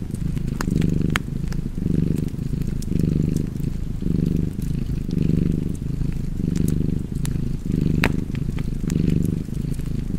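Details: Cat purring steadily next to a fire, the low buzzing rumble pulsing with each breath about once a second, punctuated by crisp crackling and snapping wood.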